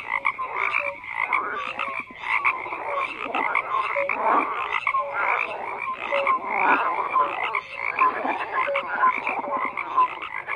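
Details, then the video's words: Dense frog chorus: continuous croaking with rattling pulsed calls and scattered short tonal blips recurring roughly every second, steady in loudness across the whole stretch. "FROGS CROAKING"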